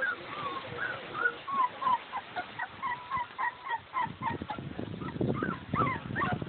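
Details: Boxer puppies three weeks old, eight in the litter, fill the air with high, wavering squeals and yips that rise and fall. Later the squeals grow more scattered over scratching and movement noise.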